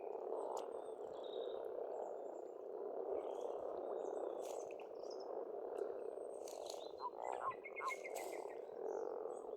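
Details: Steady, humming croaks from many frogs at a pond in Estonia in spring, with sparse bird chirps and a quick stuttering trill later on.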